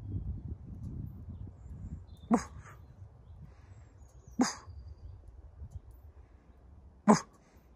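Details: Wolves kept at the zoo in Järvsö, Sweden, living outside a hotel: three short, gruff, sharp barks spaced about two seconds apart, each a brief burst, over a low background rumble.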